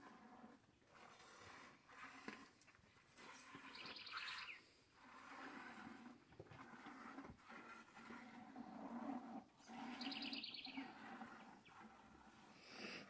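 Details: Morning hand milking of cows in a corral while the calves suckle and others wait their turn. Chumbada, Renata, Fruteira and Mariposa are among the cows. Low, hoarse bellows recur through a steady farmyard background, with brief higher tonal notes near four and ten seconds.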